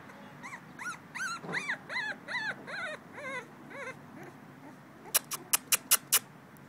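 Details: Male blue-nosed American Pit Bull Terrier puppy, two weeks old, recorded 21 December 2011, whimpering in a rapid series of about ten short, thin, arched squeals, followed by a run of sharp clicks.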